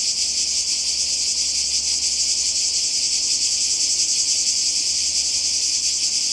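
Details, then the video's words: Cicadas calling by the sea in Croatia in summer 2020: a dense, continuous high-pitched buzzing chorus with a faint rapid pulsing, steady throughout, with a low hum underneath. "Kroatien Zikaden und Meer"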